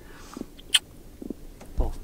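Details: A caught redfish (red drum, Sciaenops ocellatus) drums as it is released after fly fishing, making low knocking drum pulses in short bursts while a person talks nearby.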